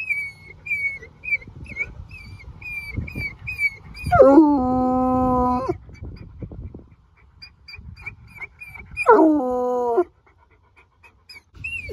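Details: Trapper, a Bluetick Coonhound, howling in victory on reaching a mountain top after a hike: two long howls, each sliding sharply down from high into a steady, low, resonant tone held about two seconds, with repeated bird chirps around them.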